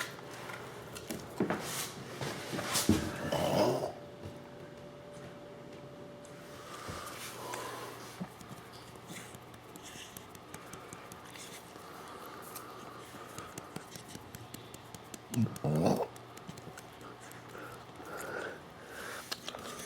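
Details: A Miniature Bull Terrier lets out two low, gurgling burps some twelve seconds apart after drinking water.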